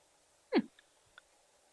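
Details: A baboon in Africa gives one harsh, rising shout while baboons quarrel, followed by a couple of faint clicks.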